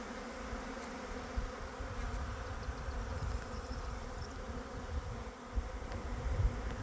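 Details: Steady buzzing of honey bees, a broad unbroken hum with strong low-frequency rumble and a few soft bumps and knocks near the end.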